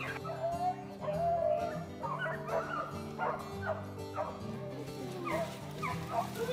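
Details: A pack of beagles bays in repeated, ringing yelps while running a rabbit in woods in West Tennessee on an unexpectedly cold day, over a steady musical drone.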